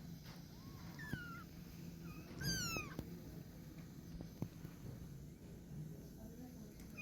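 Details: Fluffy kittens learning to climb: a short, thin mew early on, then one louder, high-pitched drawn-out meow that bends downward, with a steady low hum and faint rustling underneath.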